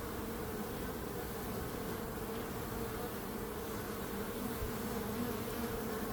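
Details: Continuous hum of many bees, an even, unbroken buzz with steady tonal bands and no pauses, slight swells in loudness toward the end.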